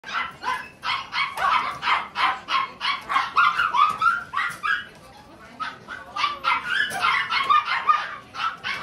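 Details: Tiny Poodle puppy, described as loving people, yapping in fast runs of short high barks, about three a second, pausing briefly midway before resuming.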